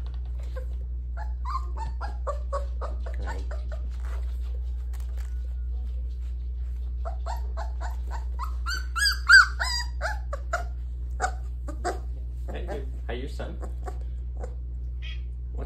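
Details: Puppy crying and whimpering as it meets its father for the first time indoors; high thin whines and yelps in irregular bursts, loudest around nine seconds, over a steady low electrical hum, with a woman talking softly.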